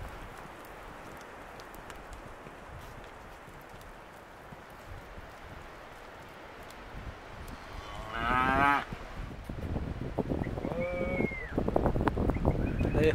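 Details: Young Hereford and Careta steers offered as lot 10 at an auction; after several seconds of low rustling and shuffling, one loud harmonic moo rings out, then hoof clatter, knocking and a brief rising whistled tone follow.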